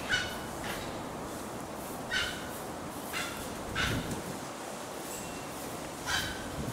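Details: Japanese macaques at Takasakiyama Natural Zoo, Oita, Japan, on 5 December 2019. Short, tonal, harmonic-rich calls sound about five times in seven seconds, spaced one to two seconds apart, over a steady outdoor background hiss.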